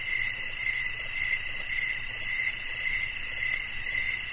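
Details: Repeated high chirps from a cricket, pulsing about twice per second, partly blended with a second higher pulsing caller and a dense, unbroken insect drone.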